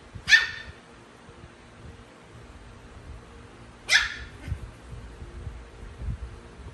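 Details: Little Pomeranian eager to play with Chihuahuas: two sharp, bright yaps about three and a half seconds apart, with soft low shuffling noises in the background.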